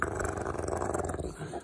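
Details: Rottweiler growling over food, showing food aggression; a steady low rumbling growl held for well over a second, fading slightly at the end, with a man's voice giving commands just before and after.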